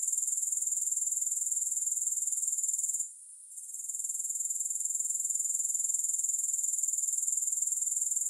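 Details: Grasshoppers recorded with no music added: a shrill, very high continuous buzz pulsing steadily about four times per second, interrupted by a short quiet gap near the three-second mark, then resuming unchanged.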